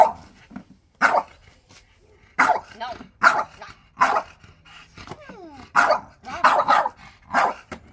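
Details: French Bulldog barking back at its owner in a dispute over his chair; loud short barks about once a second, some doubled, with a few whining, rising vocal sounds between them.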